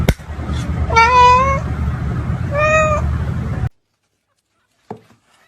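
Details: Domestic cat giving two drawn-out, tonal meows, the first longer and wavering slightly, the second shorter, over a steady low rumble of background noise, then a brief quiet gap and a faint knock.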